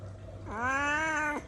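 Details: ['Hungry pet kitten at home, crying while waiting for food: a single drawn-out meow lasting under a second, sliding up at the start and then holding a steady tone before cutting off sharply. A quiet indoor room.']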